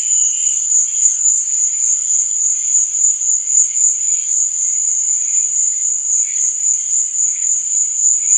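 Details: Chirping crickets in the night make an even, shrill, high buzz that never stops, with soft, lower chirps flickering in and out.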